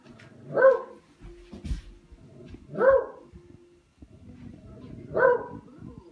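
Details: Buster the dog plays with a katydid bug and lets out three loud, sharp barks roughly two seconds apart, with soft knocking and shuffling noises in between.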